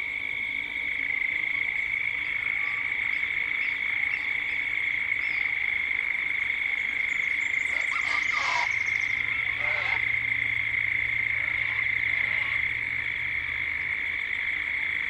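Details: Cicadas droning at dusk in Gippsland, Australia, in a 3D ambient recording: a steady high-pitched buzz runs the whole time while short bird chirps break in around the middle.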